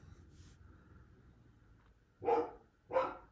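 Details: Pet dog barking repeatedly, possibly at a squirrel or the neighbourhood cat: two strong, harsh barks about 0.7 seconds apart after faint indoor murmur and hum.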